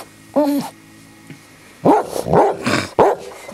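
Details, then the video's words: Harley, a pet dog visiting a house with a cat named Puddles, trying to get the cat to play: one short whine-like call, then a run of three louder yelping, talking-style calls, with a person calling out "hey" nearby. "Harley Tries To Talk Puddles Into Playing"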